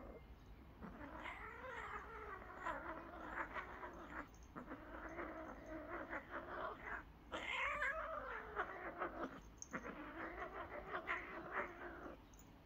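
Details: Cats whose play turns into a fight again: drawn-out, wavering yowls with rich harmonics, rising and falling in pitch, in about four long stretches split by brief pauses, over a low steady background hum.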